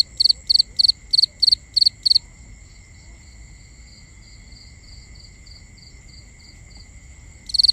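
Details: Nighttime crickets recorded binaurally: a close caller repeats six quick bright chirps, then pauses for several seconds while a constant high-pitched trill from other insects continues, before one more chirp at the very end.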